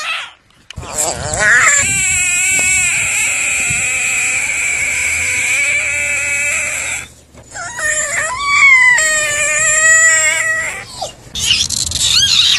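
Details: Frog screaming in long, loud nasal wails, a sustained cry of about five seconds followed by shorter wavering, warbling screams after a brief pause, with a harsh burst at the close.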